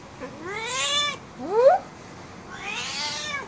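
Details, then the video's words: Domestic cat, female, indoors, angry and wanting to go out: three rising-then-falling meows, the first two long and harmonic, a short upward squeak between, a final breathy wail; a person speaks softly nearby. "Pissed off and angry Cat"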